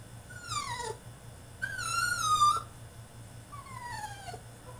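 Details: Crated French Bulldog in a tantrum whimpering: three tonal whines, the first and last sliding downward, the middle one longer and steadier, with a soft hum in the background.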